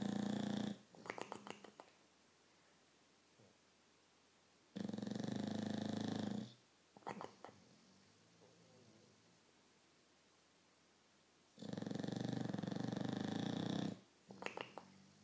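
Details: Victorian Bulldog asleep indoors, snoring loudly: three long, harsh rasping breaths roughly every five seconds, each followed by short snorting flutters as air is drawn back in.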